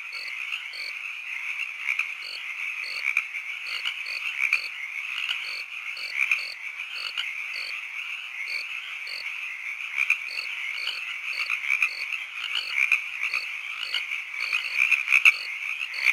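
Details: Night-time chorus of frogs and crickets, a steady shrill drone carrying repeated short chirps and gentle low croaks in a fast, regular rhythm across the whole stretch.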